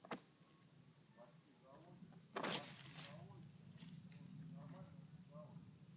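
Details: Great green bush-cricket (Tettigonia viridissima) recorded on an iPod touch 5, giving a continuous, very high, hissing buzz that runs unbroken through the whole stretch, with faint low rustles and a soft thump beneath.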